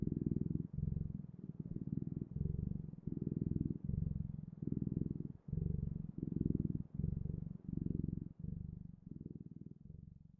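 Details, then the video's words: Deep, continuous cat purr, pulsing in about a dozen regular breath-length bursts that keep a steady rhythm throughout, set against a quiet room with no other noticeable sounds. "Sounds of Cat's Purring"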